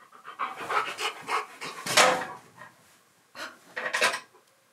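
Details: Key the husky grumbles in protest when asked to sit again for a biscuit during indoor filming; breathy, noisy huffing and grumbling bursts, a louder strained cry near the middle, a pause, then another rough burst.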